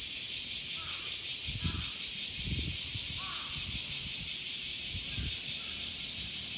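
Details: Summer chorus of male cicadas, a loud unbroken high buzzing drone, with brief low knocks and faint bird calls beneath it.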